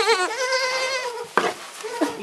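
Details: Kid goat gives one loud, trembling bleat lasting about a second with a wavering tone, followed by a couple of sharp knocks and a softer bleat.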